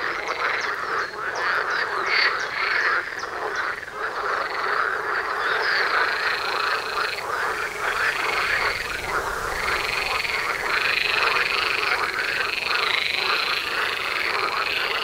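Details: Many frogs croak together at a pond by a house door, a steady dense chorus of rattling calls with a sustained higher trill running through most of the recording.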